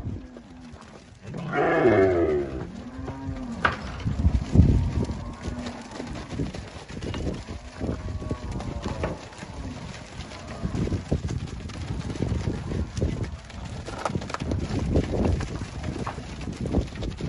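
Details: Angus cattle offered for sale on Fazenda Boa Esperança, Palmeira dos Índios, Alagoas, Brazil; a low moo with rising harmonics near the start, followed by a long stretch of rustling, thuds and background farm noise.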